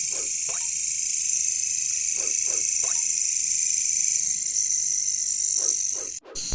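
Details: Caricangkas katydids give a constant high metallic buzz in jungle surroundings, overlaid by several short repeated croaks from another animal, before the recording cuts off abruptly at the end.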